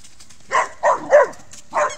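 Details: Four quick, loud barks from Rübe, a dog romping with a ball and another dog, recorded August 2018; the barks come in rapid succession, three close together and a last one after a short pause.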